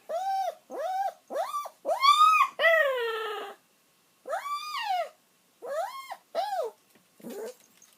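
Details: Elderly pet dog whimpering while it waits for its owner to come home, as it usually does until the owner returns: a series of loud, high, arching whines with rising-falling pitch, one longer drawn-out cry midway, then several shorter whines fading out.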